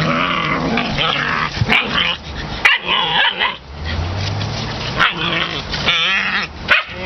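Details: Puppy play among litter mates in October 2015, with a pile of squealing yips and rising whines, sharp little barks, and a low rumbling growl in the middle of the tussle, over a faint constant hiss.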